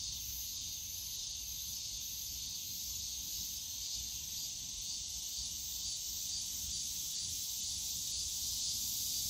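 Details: Cicadas fill the air with a dense, steady, high-pitched droning buzz on a summer day in the bamboo forest of Yongsan Family Park.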